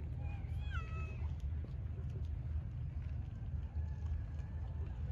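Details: A cat gives one clear, short meow that rises then drops in pitch within the first second, followed by faint trailing calls, all set against a constant deep background rumble.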